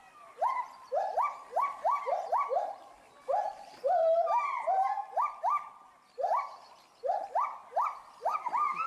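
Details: Agile gibbon pair in a UK zoo at Bristol, excited by something in the reeds below; steady volley of short rising whoops, roughly three per second, with a brief fluttering higher note midway and small breaks between series.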